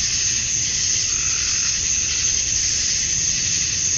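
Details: Male cicadas chorus at dusk on a summer night in Georgia, USA, calling to attract females; a dense, steady, high-pitched hissing drone holds unbroken throughout, with a faint low rumble underneath.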